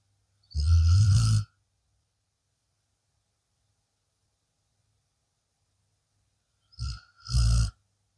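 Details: A blue Akita Inu sleeping after a long day snores twice: a rough, low, rumbling breath near one second long, then after a long silence a short catch followed by a second deep snore.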